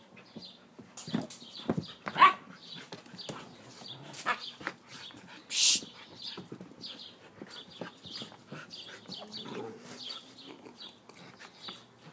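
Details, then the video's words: Playing Siberian Husky producing scattered short huffs and bark-like bursts, one sharp loud yelp early and a harsher blast midway, over steady background chirping of small birds. "Husky play"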